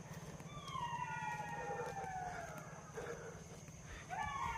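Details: Many jackals howl together in the evening from beyond a bamboo grove, perhaps along a jackal path. Several overlapping drawn-out wails slide downward, and a fresh howl rises near the end, over steady low rumble and insect hiss.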